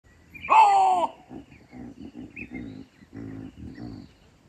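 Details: Chacma baboon calling from a tree in Kruger National Park, South Africa: one loud harsh bark at the start, followed by a run of lower, softer grunting calls repeated about every half second.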